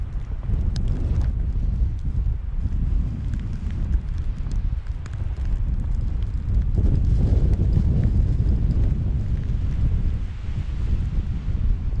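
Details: A March snowstorm on a Finnish farm brings constant low, rumbling wind buffeting the microphone, and no animal sounds stand out.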